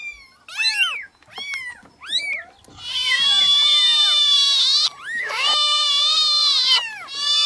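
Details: Newborn kittens meowing: many high, thin overlapping cries, some short and falling, others long and sustained, crowding together into a dense chorus of shrill mewing with brief gaps.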